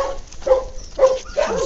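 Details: During play, English Cocker and Lab puppies Joe Cocker and Zoom Zoom make three drawn-out, thin whining tones, each flat and held briefly, over a low rumbling background.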